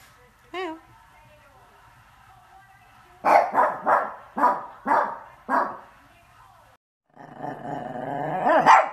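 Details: Pekingese dog barking and howling: a brief high whine, then six sharp, evenly spaced barks about half a second apart, followed by a drawn-out, wavering, rising howl-like cry at the end.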